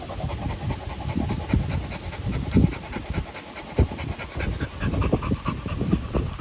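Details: Continental Bulldog pup or young dog, Rita aged 10 months or Sumo aged 2 months, panting steadily; quick breathy in-and-out huffs with occasional louder gasps, low rumbling background noise.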